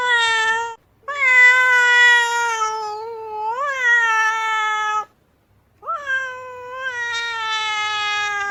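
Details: Displeased female cat, foot-stamping, gives drawn-out moaning yowls: a brief call, then a long one that swells and bends upward mid-way, a silence, and a final rising then level howl.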